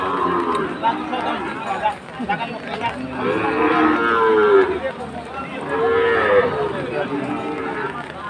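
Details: Sahiwal bull purchased by a farmer in Chittagong during rain, on Eid's second day; two loud, arching moos swell and fade, with a softer lowing between them, over constant hiss and distant crowd sounds.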